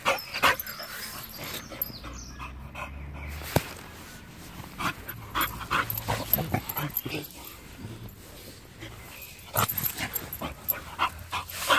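A Chow Chow makes short, scattered huffs and grunts amid rustling and faint human laughter.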